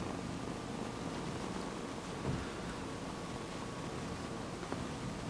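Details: Male kitten Sonny purring for the camera, a loud motor-like sound: low, continuous rumbling purr mixed with broadband hiss, one brief rustle midway.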